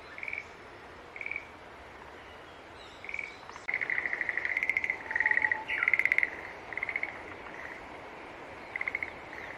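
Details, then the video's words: Green tree frog calls, sparse brief trills at first that soon crowd into louder, near-continuous pulsed bursts, with a couple of sharp clicks mid-way over a steady hiss. "Sounds of Green Tree Frog Call"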